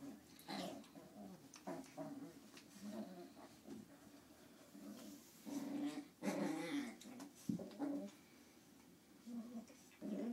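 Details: Two 9-week-old Lhasa Apso puppies playing together indoors: rough low growls and short grumbling bursts come in irregular spurts, with a few whimpering notes between them and quiet gaps.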